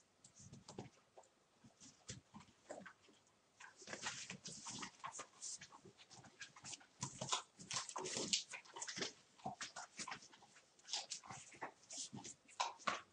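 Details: One-month-old litter of puppies at play, a busy stream of high squeaks, yelps and whines overlapping with scratching and shuffling noises, growing denser toward the end.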